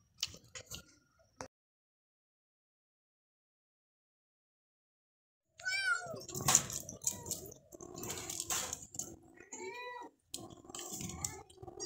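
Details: House kitten calling: a brief sound, then several seconds of silence, followed by a run of thin high meows with rustling and handling noise.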